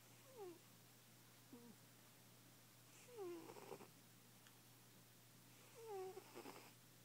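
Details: Asleep and snoring, a fat domestic cat produces three strong breaths about three seconds apart, each a sliding downward whistle followed by a rough airy rattle, with faint room hum.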